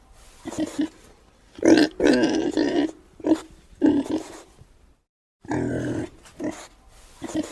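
A pig grunts in short, rough bursts with brief pauses between them.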